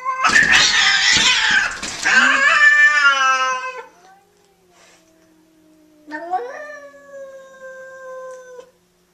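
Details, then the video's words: Cat during a fight, from a compilation of cat fights: loud harsh screaming yowls with dense broadband noise for about four seconds, then a pause and a long wavering moan that rises and falls, indoors. "the best funny cat fight videos"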